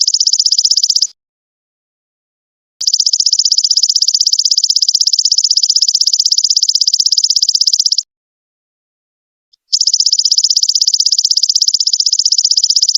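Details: A golden locust gives a high, dry, buzzing trill in long bursts separated by brief silences, recorded as a master sound for training songbirds.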